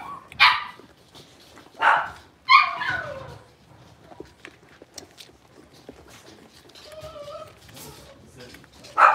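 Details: Blenheim Cavalier King Charles Spaniel puppies aged six weeks, from a litter of five born at New Year's, in an indoor pen. Three separated high yelps, quiet stretches with faint voices and small whines, and a final sharp yip.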